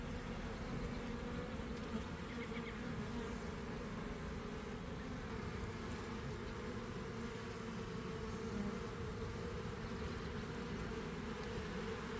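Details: Swarming honey bees pouring from a hive into a garden in early afternoon after a cold, damp week, heard from within the developing swarm as a continuous, even, low droning buzz of countless wings throughout.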